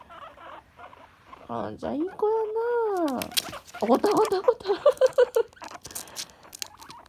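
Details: Two female pet guinea pigs kept together indoors, one long-haired and calm, one short-haired and lively; one wants to play, the other does not and gets annoyed. Rising-falling whistled squeals, then a burst of short chattering notes with rustling.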